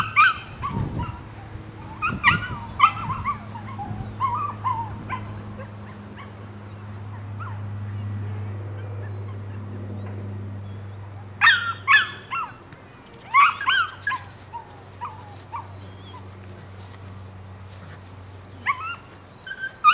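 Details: Nine-week-old Rodin/Katana female pup lets out scattered high yips and short whimpers, busy early on, then a long lull over a low droning hum, then more clustered yelps toward the end.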